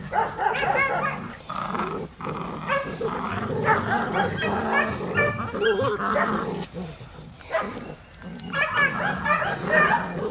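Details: Two-month-old puppies of the V litter at the DarkFall kennel playing with their mother: overlapping growls, yips and whiny squeals in dense, irregular bursts, with brief pauses and scuffling noise between them.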